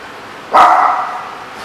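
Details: Dog at The Barking Lot, recorded 7/11/14: one short, loud bark with a slightly drawn-out, tonal tail, heard against a quiet background hiss.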